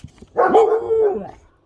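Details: Pet Siberian Husky puppy trying to imitate speech, prompted by its owner: a rough attack gliding into a sustained, wavering tonal note that swells twice and fades, under a second long.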